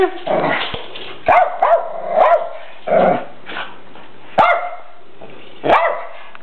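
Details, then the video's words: Two Rat Terriers barking at a red deer buck they dislike; sharp, rising barks and yips in irregular bursts with a growl-like undertone, and pauses between outbursts. "Rat Terriers with Deer"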